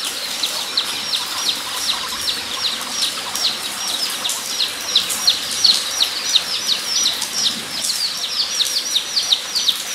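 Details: At Nogeyama Zoo, 23 September 2012, guinea pigs keep up rapid rows of sharp high-pitched squeaks, closely spaced and overlapping, with faint lower chirps and a light noisy background.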